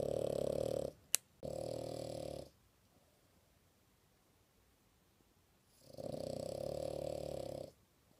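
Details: A female French Bulldog sleeping indoors and snoring very loudly: long buzzy, rasping snores with a steady nasal tone, each lasting one to two seconds, broken by a sharp click and a quiet pause of about three seconds.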